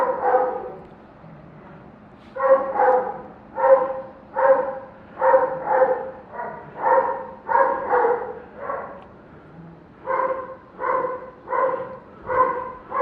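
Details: Neighbour's dog barking in the morning around 7:09, a long steady run of harmonic barks roughly every half second to second, pausing briefly near the middle before resuming.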